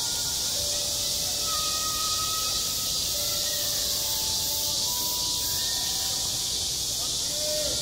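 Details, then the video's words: Summer cicada chorus over a school playground, a continuous shrill buzz with no pauses; several faint, sustained tonal notes drift in and out beneath it, perhaps a distant school bell. "한 여름 운동장에서 매미가 울고 있다 - 여름의 소리, 학교 종소리, 매미 울음소리"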